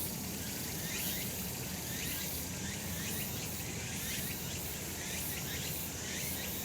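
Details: Cicadas on a summer mountain in the sun, a constant shrill buzzing with repeated pulsed bursts every second or so and a busier, rumbling low background.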